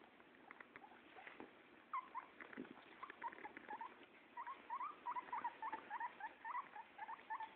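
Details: Guinea pig being bathed by a pug-nosed Pekingese dog; short squeaky calls repeated several times a second, each quickly rising and falling, growing more frequent in the second half, over soft patter and handling noise.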